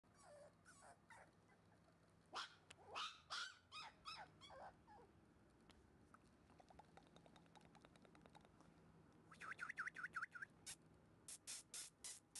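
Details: Black female Shiba Inu puppy, born 16 January 2012 and recorded 19 February 2012, making soft, high whines and short yips in two scattered bursts separated by a quiet pause.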